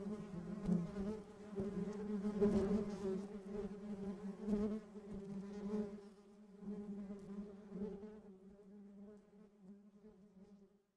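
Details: Real bees buzzing in a steady, low drone with rich overtones, swelling and wavering as insects move close, then thinning and fading away toward the end.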